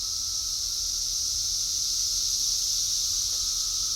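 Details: A steady, loud, high-pitched hiss of cicadas calling on 6/4/24, holding an even intensity throughout without pauses, over a faint low background hum.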